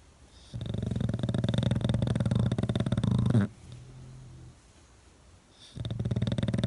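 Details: English Bulldog dozing on its owner's face indoors, producing a sustained, low, vibrating snore of about three seconds, a brief soft wheeze, then another heavy rumbling snore starting.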